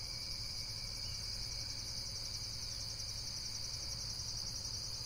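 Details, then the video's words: High, fast-pulsing insect calls form a steady shimmering chorus, evenly repeated throughout, over a soft low background rumble. "Amazing Insects World - Relaxation Video with Various Nature & Insects Sounds"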